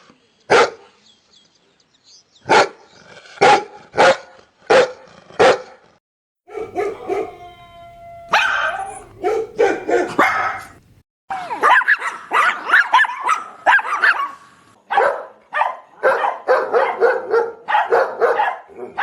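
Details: Dogs barking loudly, from a compilation of various dogs: a run of sharp single barks with short pauses, then a denser stretch of rapid, overlapping barking that continues almost without a break.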